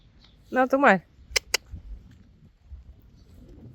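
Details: Friesian horse, one of the mares Blomke and Belle, gives a short loud whinny with a wavering, shaking pitch lasting about half a second, followed by two sharp clicks and quiet outdoor background.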